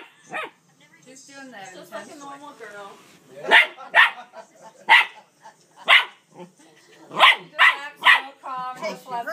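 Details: Male dog barking at his sister, trying to coax her into play while she refuses; loud barks repeated at an irregular pace, roughly two a second in spells, with human speech in the gaps.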